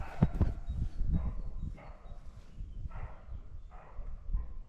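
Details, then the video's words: A roe deer buck gives hoarse, dog-like barks about every half second on a spring morning after heavy rain (8 May 2024); the recordist guesses it is an attraction or territorial call. "Sounds like a barking, but that's a roe deer buck."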